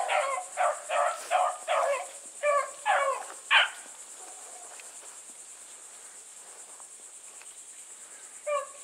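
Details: Blueticks running as a pack alongside Sassy, a small white female hound. About eight sharp, clipped bays come in quick succession, then near quiet with one last bark. A constant high insect buzz runs beneath.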